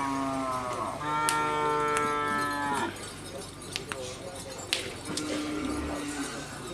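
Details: Madura cattle at a karapan sapi bull race training session at Asemanis field, Madura, East Java, Indonesia: one long, low, droning moo of nearly three seconds, held steady and stepping slightly higher, followed by crowd chatter and sharp knocks.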